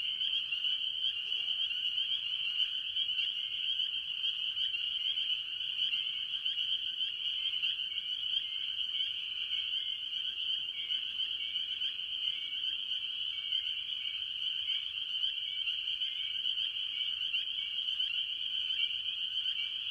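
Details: Farm pond in early year, with various tree frogs calling, mostly spring peepers: a constant, piercing high chorus of countless overlapping peeps, even and unbroken for the whole stretch, with faint low background noise.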